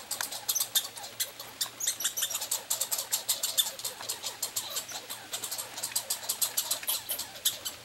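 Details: Two pine squirrels reacting as they compete for peanuts in summer: dense, rapid scratchy chatter of sharp repeated clicks, bursting in uneven clusters throughout.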